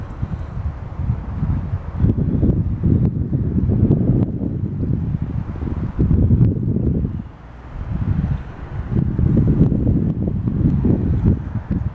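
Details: Heavy wind buffeting the microphone with low rumbling gusts; no animal calls can be picked out.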